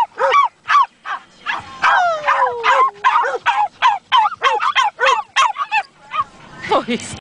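A Schipperke vocalizes in a quick string of short, arched yowls and yips, roughly two or three a second. A few longer notes slide down in pitch like a mournful howl, giving the whole a sing-song, yodeling quality.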